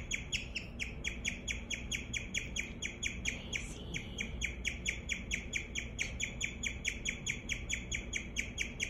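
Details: Pet guinea pig chirping, a rapid series of short high bird-like notes about two per second, steady and insistent throughout, over a low background hum.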